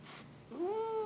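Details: Grumpy pet cat Leo gives a short rising meow that swoops up and holds steady, heard after faint indoor background noise.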